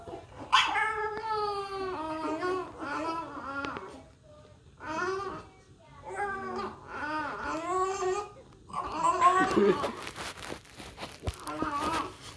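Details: A male pet French bulldog stuck in his cage whines and cries in drawn-out, wavering, almost vocal bursts that sound like a race car.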